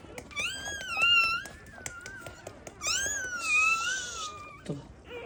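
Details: Newborn black Labrador Retriever puppies, born in a first litter and needing revival; high, wavering cries sliding around and falling in two long bursts, with indoor room noise and faint clicks between them.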